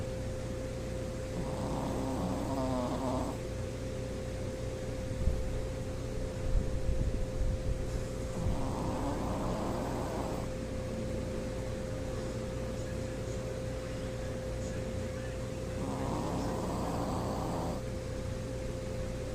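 A Shih Tzu snores in slow, raspy breaths about every seven seconds over a steady electrical hum.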